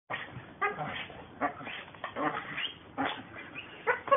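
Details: American Pit Bull Terriers working, giving harsh, rough barks in short bursts about every half second to second, with uneven loudness and a few louder barks near the end.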